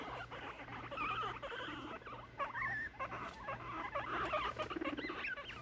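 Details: Three young male guinea pigs, six months old, in a brutal late-night cage fight; wavering high squeals, some rising and falling, repeat irregularly amid chattering and scuffles.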